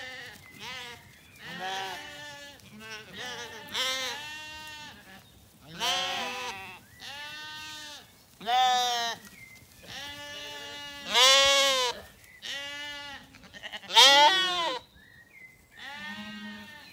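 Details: Lambs of the Zwartbles breed bleating in a Kilkenny orchard, Ireland, as a hot day cools into evening; a flock calls in loud, wavering, overlapping bleats roughly every two to three seconds, birds faintly singing.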